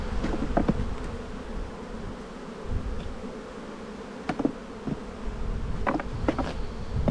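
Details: Colony of honey bees in a bee yard during spring buildup, recorded while the hive is opened for inspection. The dense droning buzz stays steady, dotted with light clicks and knocks from the frames.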